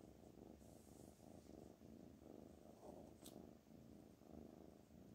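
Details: Pet cat giving a quiet, even purr, low and pulsing in gentle waves, with a single faint tap partway through.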